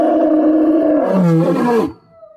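A lion gives a loud, rough roar that drops in pitch and ends abruptly.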